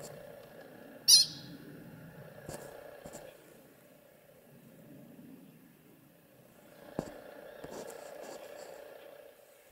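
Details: A pika gives a single sharp, high-pitched squeak as a warning call against a quiet background, at a rock fall near Milner Pass Lookout, Rocky Mountain National Park, recorded 13 August 2021.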